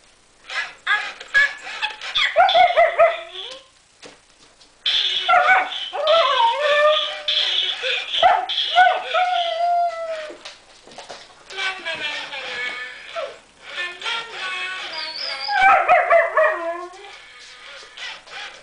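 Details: German Shepherd puppies meeting a strange fluffy Christmas present, giving high whimpers, yips and short barks in dense bursts, with brief pauses, quieter stretches and some human speech.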